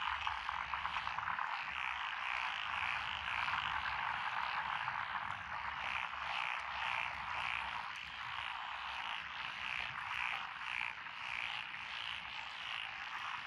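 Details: Night chorus of frogs in Japanese lotus rice paddies, Echizen, Fukui, June 2021; rapid rhythmic croaking swells in regular waves roughly twice a second over a constant background of calls.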